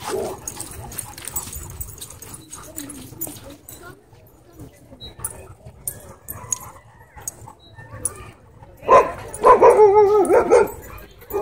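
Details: Alpha German Shepherd at a dog park, putting a disrespectful dog in its place: after a quiet stretch of rustling and distant noise, a loud burst of rapid, harsh barks fills the last few seconds.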